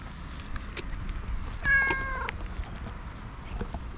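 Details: Tuxedo domestic cat with a black mask, a stray living in a park, gives a single short, rising-falling meow while being petted, heard over rustling handling noise.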